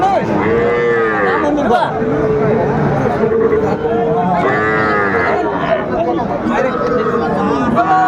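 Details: Bulls at a livestock market in Comilla, Bangladesh, on 14 September 2024, where farmers buy bulls for their farms. Several drawn-out, tonal lowing calls overlap with steady crowd chatter and bargaining voices throughout.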